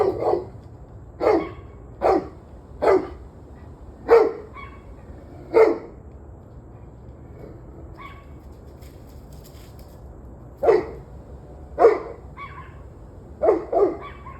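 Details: Dog barking recorded 21 November 2023 at 7:06 pm: a run of sharp, loud barks, singly and in quick pairs, pausing briefly mid-sequence before resuming, over a quiet low background hum.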